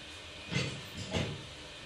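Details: A kitten, very scared and not eating after going outside and being attacked by a cat, gives two short, breathy, broadband hisses about two-thirds of a second apart over a quiet background.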